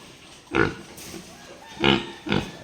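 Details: Duroc pig, a new boar on a pig farm, giving three short, harsh grunting bursts, the first alone and the last two close together, over a quiet background hum.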